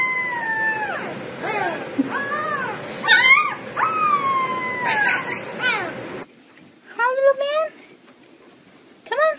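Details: Puppy howling in a series of short arching wails that rise and fall, some with a quavering end, followed by a pause of near quiet and then brief higher yelps, over a hissy indoor background.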